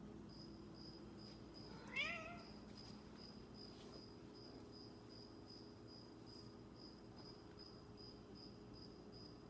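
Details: Lonely Snowshoe cat missing its owner: one short, strained meow that climbs then drops, followed by steady cricket-like chirps pulsing throughout and a low background hum.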